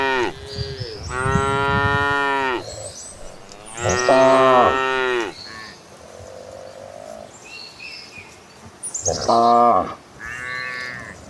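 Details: Herd of cattle running toward green pastures, calling repeatedly; long loud harmonic moos, one after another with short gaps, overlapping fainter lows and a brief quieter call in between.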